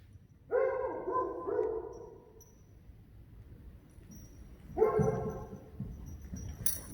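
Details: Johnny, a Friesian horse who acts as nanny for the foals, calling good morning: a harmonic, wavering neigh lasting about a second and a half, then a second shorter rough neigh near five seconds, over low rumbling background noise.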